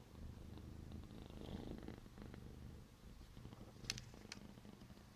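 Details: A domestic cat purring steadily: a low, rumbling drone with soft pulses that swell and fade with each breath, broken near the end by a couple of sharp clicks.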